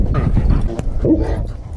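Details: German Shepherd dog Krypto breaking down crying, scared on realizing he is going to the vet: short whimpering whines, a thin high cry early, then a brief rising-and-falling whimper, over low rumbling background noise and some voices.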